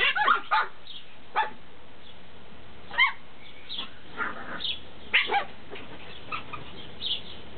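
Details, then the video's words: Several Tibetan Terrier puppies from Berlin/Brandenburg give short, scattered yips and small barks, irregular and overlapping, with brief whiny notes between them over a steady low background hum. "Tibet Terrier Welpen"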